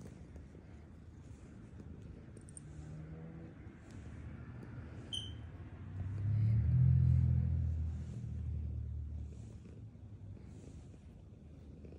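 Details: A low rumble of a passing vehicle swells and fades, with no clear animal sound. A few faint high ticks sit in the background.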